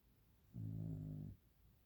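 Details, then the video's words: Sleeping dog at night, everyone else asleep; one low, steady rumbling snore of under a second, droning and slightly growly, in a quiet room. "the dog is snoring"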